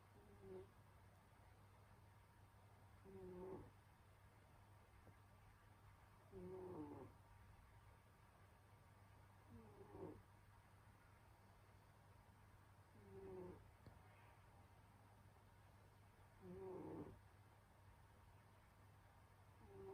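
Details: Domestic cat Senyora Betsy snoring in her winter sleep: six gentle, low, throaty breaths recurring roughly every three and a half seconds, slow and steady, beneath a faint continuous electrical hum.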